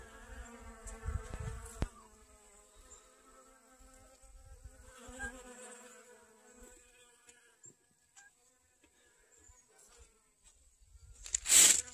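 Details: Honey bees collecting pollen from sunflowers in a garden, 25 August 2021, sunny and about 55 degrees after rainy weather; a humming buzz passes in two spells over the first seven seconds, then near quiet before a loud rustling burst.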